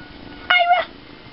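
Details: Ira the tiny kitten utters a brief, clear meow lasting about a third of a second, with a rich harmonic tone that dips slightly in the middle, against a quiet background.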